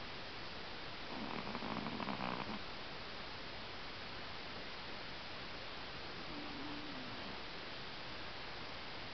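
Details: Pomeranian Moko asleep at home and snoring. A drawn-out, purring rasp of about a second and a half is followed later by a fainter, brief snort, both over constant background hiss indoors.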